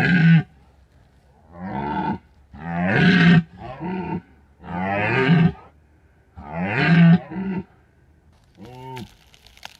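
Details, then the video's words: Rutting red deer stag calling at night in the Bucovina mountains during peak rut, captured by an unattended drop rig; a series of deep, rough roars in bursts of one to two seconds, with a shorter hoarse groan closing. "The scary sounds of red deer"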